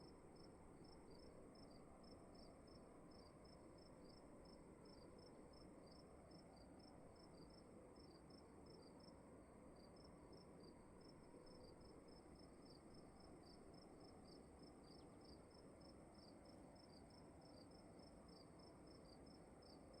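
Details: Room crickets keep up an unbroken series of thin, high pulses, roughly two each second, set against a dull low rumble and a faint steady high tone.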